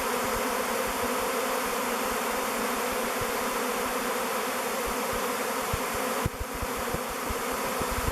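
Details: Thousands of honey bees swirling in a swarm as they choose a log hive called Bee Beard for their new home; a dense, steady buzzing hum fills the air, with soft low thumps scattered throughout and a brief dip near the end.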